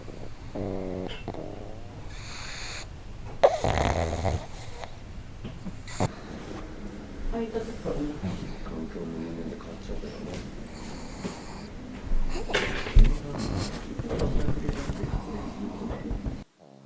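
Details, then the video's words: Two pugs kept together indoors snoring loudly, their snores falling into sync; deep rumbling, rattling snores rise and fall steadily throughout, with a few louder snorts and a person speaking softly in the background. "【パグ】いびき動画集 多頭飼いで爆音がシンクロ"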